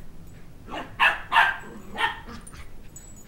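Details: Shetland Sheepdog puppy, two months old, barking while chasing a toddler who took his stuffed dog head toy around a coffee table; a burst of three close, shrill yaps, then a softer fourth, with faint household noise.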